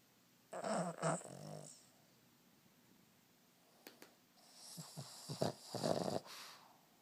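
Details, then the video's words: Four-year-old male Boston terrier sleeping indoors, snoring loudly as he does every day. Two rough, raspy snore bursts about four seconds apart, the second broken into several short rattling pulses, with quiet pauses between. "the Boston Terrier snoring"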